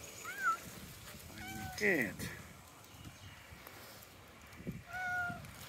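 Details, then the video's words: Cats meowing outdoors in a tropical park, several short rising-and-falling mews spaced a few seconds apart, with a man speaking and faint background noise. "Cute cats meow and walk in tropical park"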